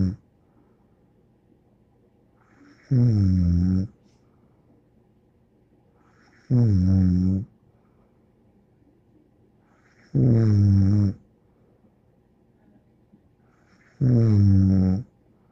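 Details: Bear, a dog, snores in a steady rhythm, four deep, rasping, harmonic snores roughly every three and a half seconds, each lasting about a second, with near silence between them in a quiet room.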